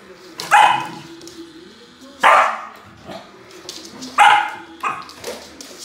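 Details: Samoyed playing with a remote-control car barks loudly three times, roughly every two seconds, each bark sharp and full, over a steady low mechanical hum.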